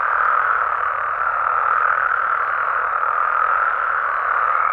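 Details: Night chorus of frogs and toads in their natural Mexican habitat, a continuous wall of mid-pitched croaking and trilling with no pauses or single standout callers.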